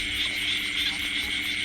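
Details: Small paddy-field frogs (khiat i-aeng) calling loudly together in a rice field at night after rain: a dense, high, rasping chorus pulsing about four times a second, with a steady background hum.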